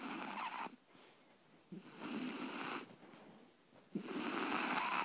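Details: Three-month-old Shar Pei puppy named Libby snoring in her sleep, loud hissing, raspy breaths repeating about every two seconds, each with a faint rattling undertone and brief quiet spells in between.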